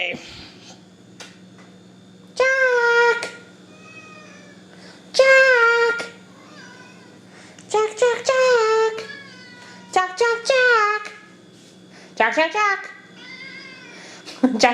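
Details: Pet cat named Jack Bauer, angry at its owner for killing bugs outside the house, gives loud drawn-out harmonic meows roughly every two to three seconds, some in quick stuttered clusters, indoors with a steady low hum behind.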